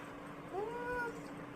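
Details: Labrador Retriever whining at its owner while asking for a carrot; a single thin, tonal whine about half a second long that rises and then gently falls, over quiet indoor background.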